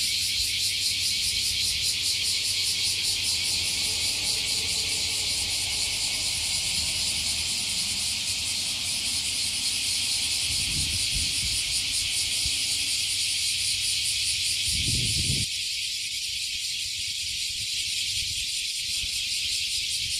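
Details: Massed cicadas near Fukuoka Bay, Japan, singing together after climbing a 50-year-old tree. A loud high shimmering drone with steady pulsing throughout; low rumbling and a brief thump near the middle, then the background quietens.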